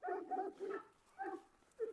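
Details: Domestic dog on a farm, scolded for being noisy while a dominant dog is walked in the yard: a run of short, quick barks, several in the first second, then two more after a pause.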